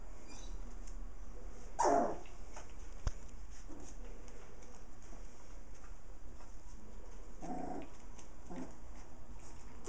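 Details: Playful puppies, one of a litter of six with their mother dog, give a short rough growling burst near the start, then a second, softer growl a few seconds later. A steady hiss runs underneath.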